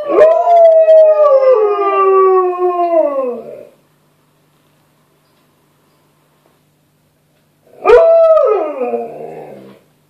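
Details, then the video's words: A male Alaskan Malamute, hearing playback of a recording of his own howling, howls back with two long, tuneful howls that sag downward in pitch, separated by a pause. "Alaskan Malamute Howls to Himself! Double Trouble Malamutes"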